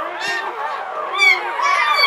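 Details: English Springer Spaniel named Latte whimpering while giving birth in 2013 to Licorice, the seventh puppy in a litter of nine; high, wavering whines run almost continuously, swelling and rising near the end.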